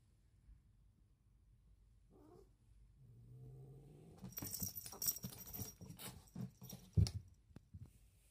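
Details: Short-legged pet cats in a comical, half-hearted fight: a low, steady growl rises for about a second, then gives way to a burst of scuffling, thumps and hissy, noisy rustles that fade out.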